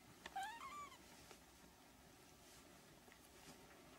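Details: Three-week-old Siamese kittens: one short, high, thin mew that rises and then slides down, lasting under a second near the start, followed by quiet room tone with a few faint soft taps.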